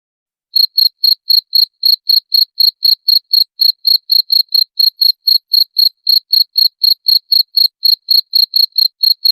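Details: After half a second of quiet, a cricket starts a continuous series of piercing high chirps, evenly spaced at about four per second; the recording is meant as a rat repellent and has no other noise.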